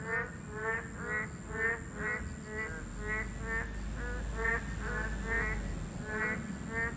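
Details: Chorus of boreal digging frogs at their habitat, a Class II protected species: loud, nasal, harmonic calls repeated about once a second in overlapping waves, over a low rumble and a faint constant high tone.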